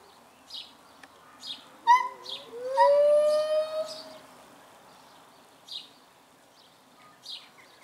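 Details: Captive gibbon couple at Dierenrijk zoo in the morning chorus: a few short quavering notes lead into a single rising-and-falling hoot about two seconds long, over a low background hum and scattered faint bird chirps.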